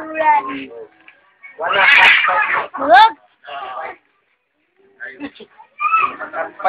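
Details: Morning cat fight near a home: choppy, harsh yowls and a brief screechy burst, a sharply rising wail near the middle, then silence and a few shorter strained cries.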